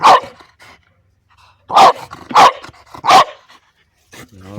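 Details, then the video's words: A French Bulldog playing with his favourite orange pipe gives loud, sharp barks in quick succession at it, with a person talking nearby. "Buldog francuski Bodzio zabawy szczekanie do rury"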